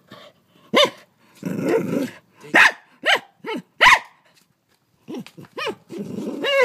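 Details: Dog frightened of a huge mantis it tries to bite, Australia; high, yelping barks with rising-falling pitch arrive in quick pairs, mixed with broad scuffling and growl-like noise between them.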